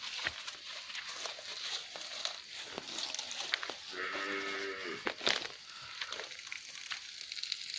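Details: Farmed cattle kept in an oil palm plantation give a single harmonic moo about a second long midway through, rising in strength then cutting off, over a steady high insect buzz and scattered clicks.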